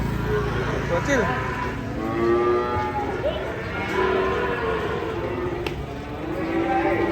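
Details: Moo of cattle coming down off a truck: several drawn-out, wavering lowing calls over a dense background of crowd noise, engine rumble and music.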